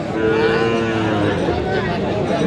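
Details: Sahiwal bull calf at a cattle market in Tangail, bought by a farmer on 30 December 2025; one long, steady, harmonic moo fills the whole clip, with a low murmur of market noise behind it.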